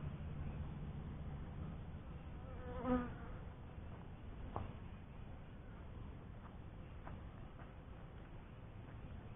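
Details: Honey bees humming at a first hive, a soft low drone broken by a sharp brief tonal buzz near three seconds, likely one bee passing close, and a fainter click later.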